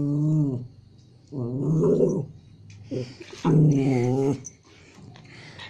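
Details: Two toy Pomeranians playing with a Japanese Spitz in Kathmandu, Nepal: low rumbling play growls in several long bouts, each a couple of seconds long, with noisy scuffles over the top.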